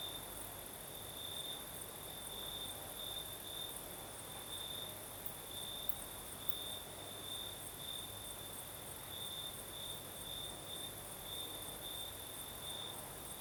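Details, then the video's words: Southern Crimea at night, crickets singing in a night breeze: an unbroken high trill pulsing in regular bursts across the whole stretch, under a constant shrill insect hiss and low breezy wash. "Звук ночи. Юг. Крым. Сверчки поют."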